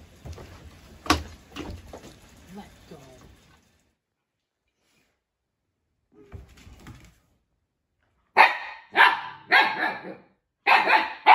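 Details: Siberian Husky puppy kept indoors with fellow puppy Juno, barking during rough play; a person talks softly at first, then after a quiet gap come five sharp, loud, broadband barks in two quick bursts near the end.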